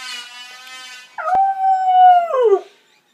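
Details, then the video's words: Domestic dog howling in response to a planer: after a brief harmonic machine whine, one strong sustained tonal howl holds steady for over a second, then slides downward and fades. "Dog howling at planer"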